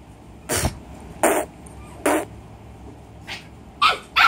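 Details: Pomeranian puppy giving short, sharp, harsh yaps, about six bursts in four seconds at uneven intervals, some with a brief upward squeaky edge, over a quiet indoor background.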